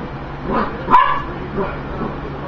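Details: A dog barks at food, giving one loud, abrupt bark framed by softer huffing sounds before and after, against a low continuous indoor hum.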